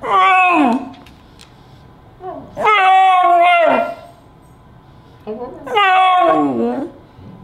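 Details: Flo, a pet beagle described as very expressive, vocalizing indoors in three long howling, talking-like bursts, each with rich harmonics that rise then slide downward, separated by short pauses, with faint speech between them.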